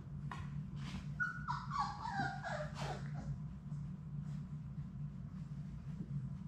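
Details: Sadie's Labrador Retriever puppies, a litter of six at play in a puppy room, produce a run of squeaky whines that step downward in pitch over about a second and a half, then scattered clicks and a low hum.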